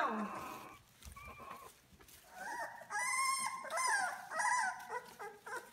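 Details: Litter of six two-week-old British Labrador Retriever puppies, born May 7, 2016, indoors: a thin, breathy opening, then a run of high, wavering whines and squeaks, several overlapping in short bursts with brief gaps.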